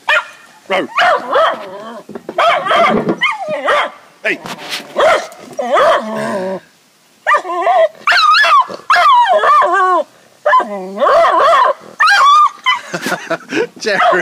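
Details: Excited Jack Russell terrier x beagle cross barking at a beagle down the road: bursts of harsh, yelping barks and drawn-out whining howls in irregular runs, while a person calls and talks to the dog throughout.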